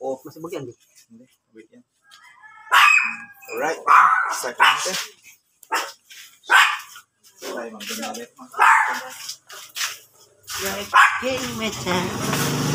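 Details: Rare blue-coloured Miniature Pinscher in Pangasinan, said to be the only blue one there, giving sharp, noisy barks in a spaced series of about five bursts, with people talking over and between them.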